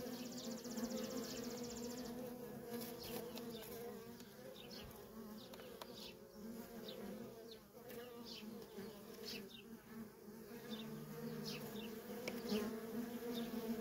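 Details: Feral honey bee colony with worker bees coming and going nonstop; a constant layered hum holds steady, with brief high chirps or insect trills early on and scattered clicks.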